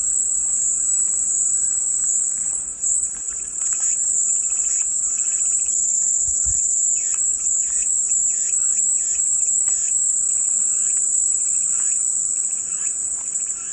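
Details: Relaxing cicada sound: a dense, sustained, ringing high buzz that never pauses, accompanied by quieter rapid chirps at lower pitch and one soft low bump midway.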